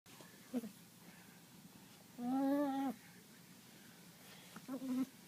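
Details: A dog making funny noises: one long, steady, tonal whine-like note lasting under a second, flanked by two short, clipped yelps, in a quiet indoor setting.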